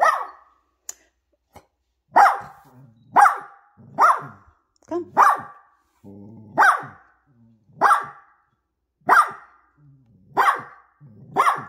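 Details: Poodle mother with her puppies at home, sharp broadband barks repeated roughly once a second, some followed by short low growly tails; a few faint clicks between them.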